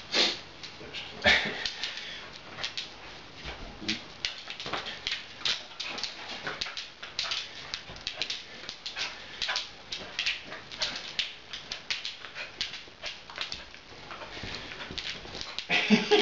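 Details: Female Beagle puppy Tessa fooling around during play, which tends to end with her mounting people; a steady run of short, breathy, noisy bursts of panting and snuffling, with scuffling and handling noises throughout.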